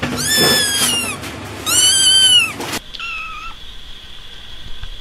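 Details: Shrill kitten meows, two long loud descending cries followed by a shorter, softer, flatter mew.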